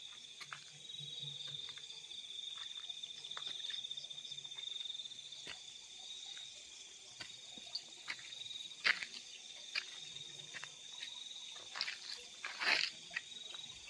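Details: Field crickets at night keep up a steady thin high trill, broken by sharp ticking clicks that grow louder and more frequent toward the end.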